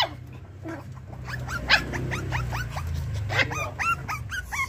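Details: Pomeranian dogs downstairs, recorded 11.6.22 alongside little poodles: a run of short, high, rising yaps repeated in quick succession, growing louder toward the end, over a low steady hum with music in the background.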